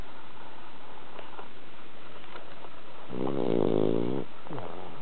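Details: After a long walk at a cherry-blossom outing, the cat Bronson is sound asleep indoors. A single low, buzzing snore swells for about a second near the end, then a softer trailing exhale; the room is otherwise quiet.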